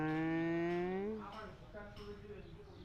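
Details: A single cat's meow from a cats-and-kittens meowing competition: a steady, slightly rising drawn-out tone lasting about a second, then fading into soft low murmuring and room noise.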